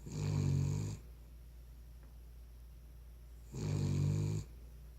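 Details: Cavalier King Charles Spaniel snoring while asleep indoors: two rough, low, rumbling snores about a second long, separated by a quiet pause of roughly two and a half seconds.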